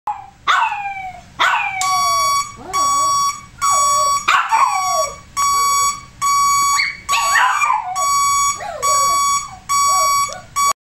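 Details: Pet dog giving high, yelping barks, some sliding downward, scattered through the clip, interleaved with a loud electronic tone that beeps on and off about once a second.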